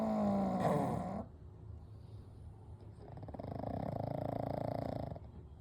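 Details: Three pugs, Kou, Gen and Shun, sleeping together indoors: a loud nasal snore with a whistling, wheezy edge opens, then fades into a softer, fast rattling breath that rises and drops again.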